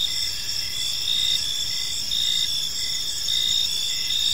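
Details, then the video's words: Gentle chirping of crickets in a serene park as evening unfolds, heard as a constant high shrill trill with brief pulsed chirps recurring at a slow irregular beat, and a quiet low rumble beneath. "Park Serenade: Cricket Sounds in a Peaceful Park | Evening Ambience"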